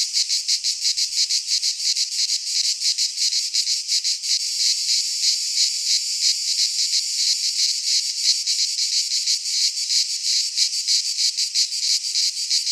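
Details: Singing cicadas, Greek pine forest, midsummer: a piercing continuous buzz beating in brisk even pulses about three per second, the chorus loud and uniform throughout, with no other sounds.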